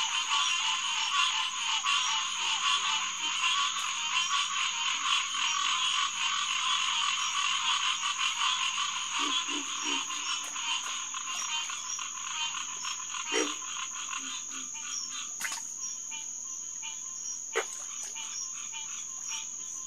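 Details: Green tree frog (Hyla cinerea) chorus at Headquarters Pond, SMNWR, June 2, 2021, about 9:10 pm. Loud overlapping honks pulse steadily, then thin out and fade, leaving a high insect whine and a few scattered clicks and low notes.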